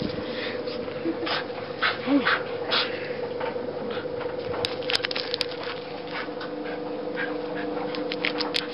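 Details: Wire-haired fox terrier named Fudge playing in the snow, giving brief soft whimpers and small yips among scuffling, crunchy bursts of movement, with a steady low hum in the background.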